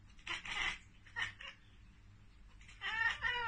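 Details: Cat chattering at a bird or insect it cannot reach: short bursts of rapid, clicky ek-ek-ek sounds with a brief harmonic whine near the end, separated by quiet pauses indoors.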